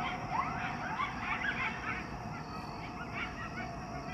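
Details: Coyotes in Chicago calling in a way likened to hyenas: several overlapping high yips and short wavering howls that slide up and down in pitch, delivered in rapid, uneven bursts over a low rumbling background.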